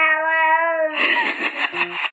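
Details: Sassy house cat meowing as if talking back: a steady, tonal meow for about a second breaks into a rough, wavering wail, with no other voices over it.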